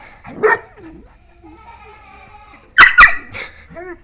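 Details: Dogs, a German Pointer and a Dachshund, heard indoors: a soft vocalization early on, then three sharp barks in quick succession about half a second apart, followed by a short whine, with faint human voices nearby.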